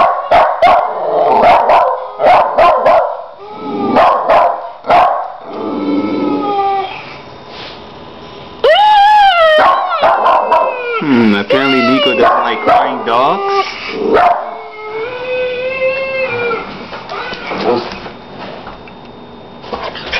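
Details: Neko, a pet dog, barking at another dog playing on a computer: bursts of sharp barks early, then yelps and howl-like wavering cries mixed with the on-screen dog's whines, barking resuming in quick irregular runs.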